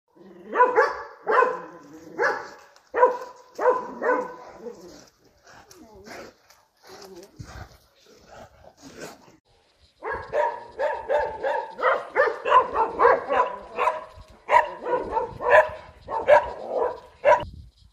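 A Dobermann barks in loud, deep bursts to guard the home, with a quiet pause midway.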